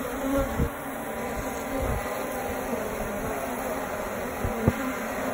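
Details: Honey bees in a tree in the suburbs, found during a call-out for a wasp nest: a steady, dense hum of many bees, even and unbroken, with a few faint knocks.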